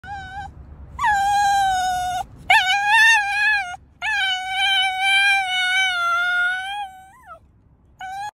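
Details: Five-year-old male Cavalier King Charles Spaniel singing: long, clear, tuneful howls held for several seconds each, wavering slightly in pitch, with a short dipping note at the end of one and brief pauses between phrases.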